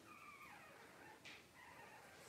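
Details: Newborn Cavalier King Charles Spaniel puppies, Blenheim and tricolor litters born September 2022, on a 28 September livestream. They give thin high whines that slide downward, one long and one shorter, with a short hissy burst between, over steady background hiss.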